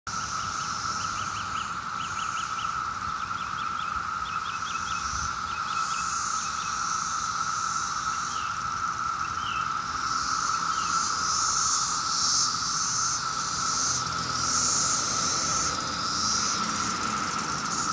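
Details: 17-year cicadas massed in Maryland on a summer day, a rare emergence: a steady, unbroken droning chorus holding one buzzing tone, with a higher hissing layer above and short repeated bird chirps in the first seconds.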